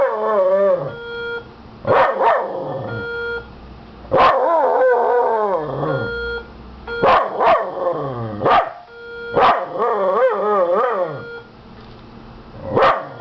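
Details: Miniature Schnauzer named Hobie reacting to a sounding fire alarm, giving separated bursts of sharp barks that slide into whining, bending howls every few seconds, while the alarm's flat pulsing beep runs underneath.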